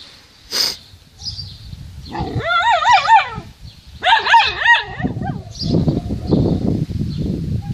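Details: A dog guarding a stick it claims as its own gives wavering, whining vocalizations in two bursts of about a second each, mixed with lower rough growling and noisy handling sounds.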